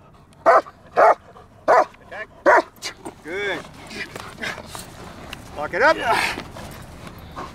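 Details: German Shepherd in training at Kraftwerk K9: four sharp, evenly spaced barks open the sequence, then softer harmonic vocal sounds and a handler's voice follow.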